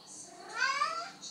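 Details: Halie, a female house cat, meows at night because she is thirsty and wants to drink from the sink, the only place she drinks. One drawn-out, harmonic meow rises and then falls, with soft French speech at the edges.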